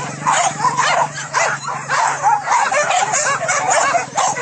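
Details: Pack of trained dogs hunting wild boar at fields in Solok, West Sumatra, Indonesia; continuous overlapping yelps and barks with a steady low hum beneath.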